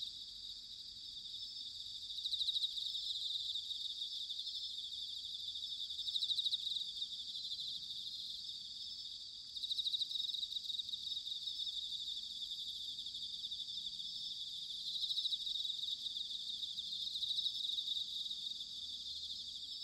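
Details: Autumn chorus of bell crickets in Sanuki, Chiba, Japan: a continuous high, shimmering band of overlapping trills with periodic louder swells every few seconds, and a faint low rumble beneath.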